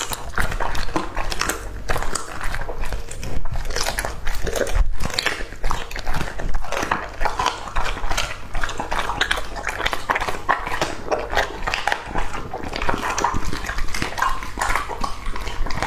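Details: Indoors, two-and-a-half-year-old English Labrador Retriever Lucky devours raw food, producing continuous crunchy biting and wet chewing, closely spaced irregular snaps and smacks with brief pauses.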